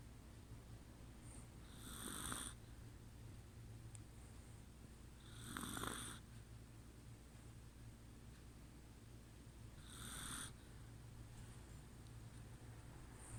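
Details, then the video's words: Chihuahua named Kuu, asleep and snoring: three soft, raspy snore breaths spaced about four seconds apart, each a brief hissy rush, over a steady low indoor hum. "寝るクー チワワ いびき"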